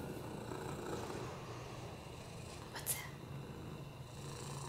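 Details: Rescued male cat, FIV positive with a broken hip and respiratory infections, purring on a lap; continuous low throbbing rumble, a brief sharp click near the middle and quiet human voice.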